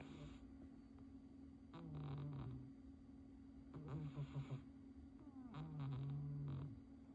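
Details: A sleeping cat named Ponyo gives three low, buzzy snores, each about a second long and spaced roughly two seconds apart, over a constant background hum.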